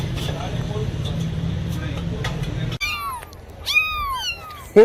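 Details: Domestic cats meowing, said to draw other cats and kittens: a muffled, noisy stretch with a low murmur, then an abrupt change to several clear, harmonic, falling meows in quick succession, ending on a short loud burst.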